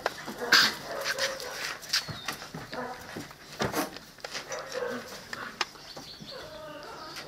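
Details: Whimpering from 7-week-old Presa Canario and Cane Corso pups: thin, wavering whines, one high squeal early on, mixed with soft grunts, set against busy clattering and scraping sounds of the puppies moving about.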